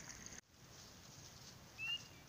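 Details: A single high, clear, upslurred peep of a spring peeper, one of the first of the season in early spring, rises over steady background hiss; a leopard frog is also nearby.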